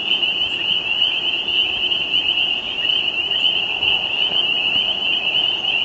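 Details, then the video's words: Tree frogs in Quebec sing together in a dense, high, ringing chorus that runs on without a break. "Singing Tree Frogs from Quebec - Free HD Stock Footage"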